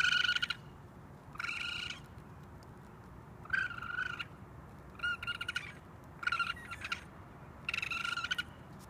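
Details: Young raccoon calling for its mother from a rooftop, giving six short, shrill, buzzy screams with strong overtones at irregular gaps of about one to one and a half seconds, with faint background rumble.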